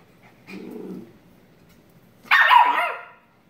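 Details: Shiba Inu puppy tackling its sister at play: a soft, low grumble lasts about half a second, then after a pause comes one loud, sharp, harmonic yelping bark that fades out over under a second.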